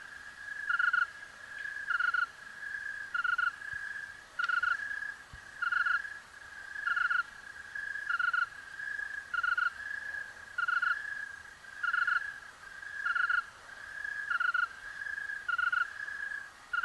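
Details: Tree crickets chorusing in Oregon's Willamette Valley: overlapping pulsed chirps near mid-pitch, repeating roughly every 1.2 seconds in a steady rhythm, with faint higher overtones and a quiet background hiss.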